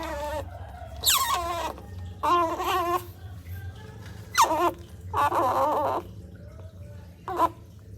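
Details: A baby otter gives loud, harsh squealing calls in short bursts while drinking cat's milk, some calls sliding downward from a high squeak.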